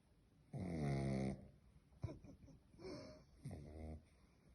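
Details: Domestic dog snoring in a small room: one strong, buzzy snore lasting under a second, followed by softer, shorter breathy snorts and rasping breaths.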